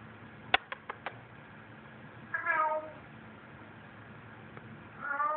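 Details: Pet cat indoors in an apartment, carrying a newly claimed stuffed toy around; a few sharp clicks, then two drawn-out harmonic meows, the second rising then falling, over low room hum.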